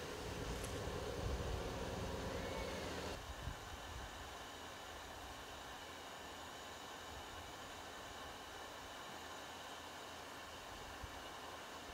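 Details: Broadband hiss and low rumble, louder in the first three seconds, then a steadier quieter noise.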